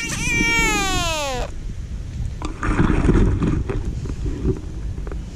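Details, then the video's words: American bullfrog, caught by hand and screaming, a sound its catchers call sad. A strong, buzzy, harmonic wail lasts about one and a half seconds and sinks at the end, then comes rumbling handling noise. "Screaming bullfrog"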